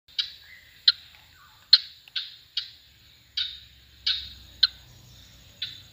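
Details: A frog in Kerala, India gives sharp, high clicking notes, each fading quickly, repeated at uneven intervals.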